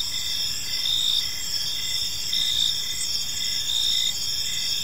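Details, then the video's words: Crickets in a calm park during the evening give a dense, high-pitched chirping chorus of several overlapping trills, pulsing in slow irregular swells against soft ambient hiss. "Cricket Sounds in a Peaceful Park"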